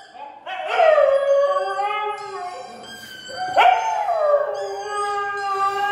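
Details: An odd-eyed Siberian Husky gives two long howls, each rising sharply then sliding down into a sustained tone.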